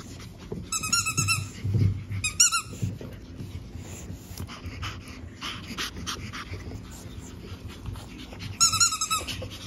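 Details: Lively Pug puppy siblings born 17 April, nearly ready for their new homes, give short, high, squeaky whimpers in little bursts, with soft snuffling between them.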